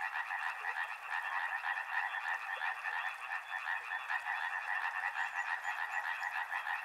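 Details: Steady frog chorus by a river: many overlapping croaking calls form two strong bands, beating in quick, uneven pulses throughout, with a thin high whine drifting in the background.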